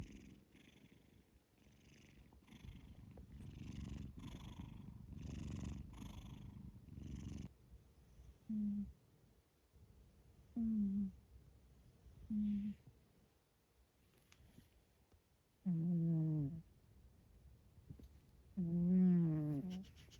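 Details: Scottish Fold cat asleep in the middle of its owner's bed: a soft, rumbling, purr-like breathing for several seconds, then short nasal, whining snores recurring every two to three seconds, growing longer and louder toward the end.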